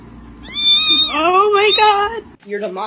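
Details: Domestic cat uttering a weird, wavering meow that climbs and slides for nearly two seconds, then a short second cry, with a person's voice close by.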